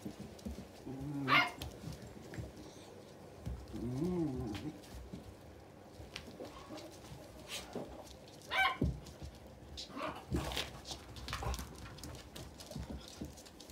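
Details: A beagle puppy hiding under a sofa gives short rising and falling whines with a few sharp yips and scuffling noises.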